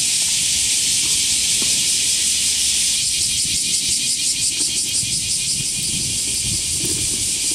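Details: Cicadas chorusing loudly on a clear, hot summer morning, 4 August 2023, near the Motoyasu River and Senda Park in Hiroshima, Japan: a dense, steady hiss-like drone with faint pulsing, filling the air; some low traffic rumble beneath.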